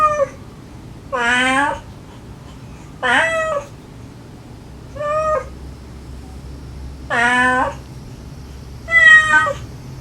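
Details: Feral domestic cat mother calling her kittens, with her rescued kittens giving sweet begging mews; recorded to lure a last hidden kitten. Five distinct harmonic meows, each about half a second, spaced roughly two seconds apart over low background hum.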